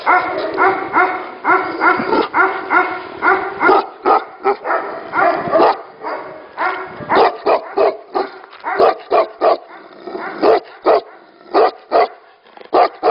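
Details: Tibetan Mastiffs kept at a breeding facility, barking: rapid overlapping barks from several dogs, some close and loud, others fainter, with brief pauses between bursts throughout.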